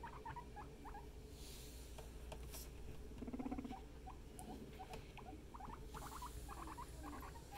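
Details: Household guinea pig family: scattered bursts of short high squeaks separated by short gaps, with a brief low buzzing rumble near the middle, over soft rustling and a low hum.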